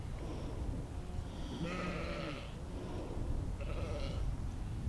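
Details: Sheep outdoors in nature, recorded in spatial audio with a Zoom H2n: one wavering, harmonic bleat lasting about a second, then a fainter bleat near the end, over steady low rumble.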